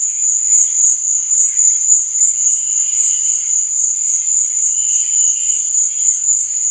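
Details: Crickets chirping at night: a steady, very high-pitched trill that throbs in a quick pulse, about three to four beats per second, with faint, softer warbling tones lower down and no other clear sounds.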